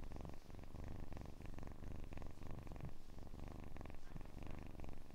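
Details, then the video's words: Soft, continuous purring from a kitten, recorded close and quiet: a low, even, fluttering rumble with no pauses and no other sounds. "АСМР 60 Минут Мурчания / ASMR Kitten Mouth Sounds / Purring"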